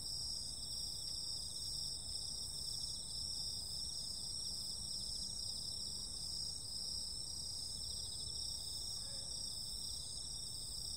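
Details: Many insects calling on a summer night, giving a continuous, evenly pulsing shrill trill at several high pitches. Near the end comes a faint brief low sound over a light ambient hum.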